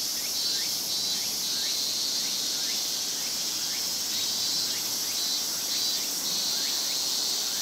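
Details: A large chorus of cicadas during a Japanese summer: continuous high-pitched shimmering hiss, overlaid by frequent short upswept buzzes repeating irregularly.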